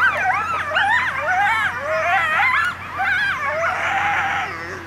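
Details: Coyotes at Indian Pond, Yellowstone National Park, howl together in wavering, sliding tones broken by sharp yips.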